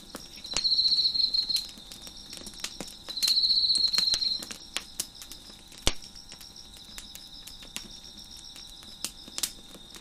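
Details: Crickets chirping in the background near a crackling fire on a deck: two long, high, buzzy trills of about a second each, separated by quieter steady ringing, with sharp pops and crackles from the burning fire throughout.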